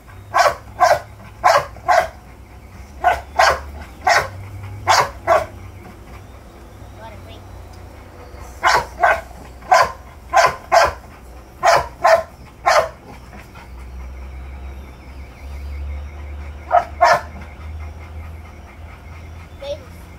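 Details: American Bully puppy barking in clusters of sharp yaps separated by short gaps, with people talking quietly and a low hum underneath.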